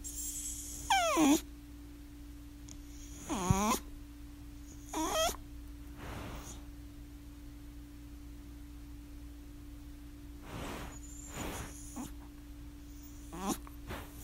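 A miniature schnauzer whines in short, sliding cries that swoop down from high to low pitch.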